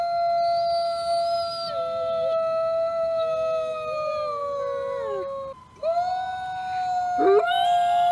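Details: Grey wolves in a howl chorus: several long, steady, clear howls held at different pitches, some bending down and rising again, with a brief break near the end before the voices resume.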